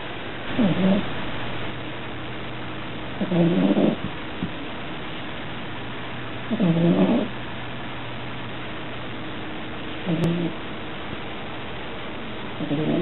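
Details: Sleeping dog snoring loudly indoors, said to be the loudest snorer of four pets in the home; five low, rasping inhalation snores roughly every three seconds, with a steady low hum underneath.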